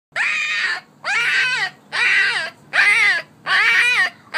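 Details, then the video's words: A one-week-old female Alaskan Malamute puppy, a vocal girl, gives a run of high, arched, wailing cries, each about half a second. "Eevee is a one week old AKC Alaskan Malamute puppy"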